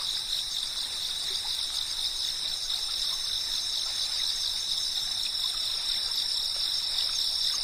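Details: Cicadas chirping in a dense, steady, unbroken high drone with shimmering tones, steady in loudness throughout, and no other clear sounds.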